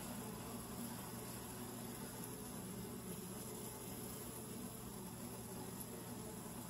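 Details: Honey bee hive entrance tube heard from very near: a constant, low, humming buzz of massed bees, slightly thinner than a roar, steady from start to finish with background hiss.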